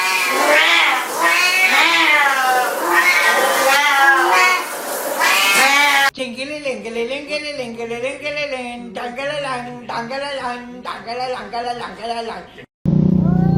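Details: A talking cat gives a long string of drawn-out, wavering meows, some rising then falling in pitch, then a run of shorter, choppy meows separated by brief gaps, ending in a burst of other noise.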